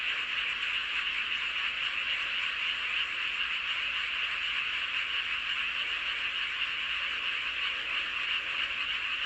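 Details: Full-moon frog chorus recorded at Seowon-myeon in Hoengseong County, Gangwon Province, Korea: countless distant callers blend into an unbroken, even buzzing drone with no individual croaks standing out.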